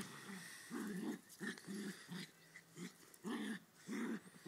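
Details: Playful growling from a Ridgeback and a Westie wrestling: strong, drawn-out rumbling growls about half a second long, separated by short pauses and softer grumbles, fairly close and loud.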